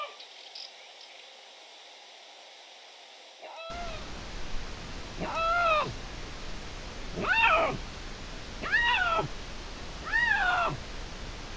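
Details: Young dispersing male Iberian lynx in Spain, one of two males claiming a hill as territory, meowing to make itself noticed, June 16, 2023. Four loud, harmonic, arched meows at roughly 1.5-second intervals after a quiet start.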